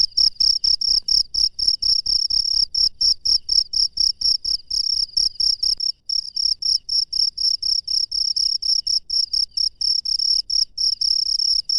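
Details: Cricket calling from the wild at night, high shrill pulsed chirps repeated rapidly and somewhat unevenly, about four per second, with soft low background noise fading out halfway through.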